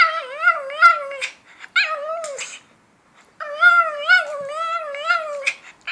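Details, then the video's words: Shih Tzu Andro talking on command indoors: two bursts of warbling, yodel-like whines, each made of quick wavering syllables. A short pause separates them, and there is little background noise. "Andro is yawning, rolling, ringing a bell and talking on command"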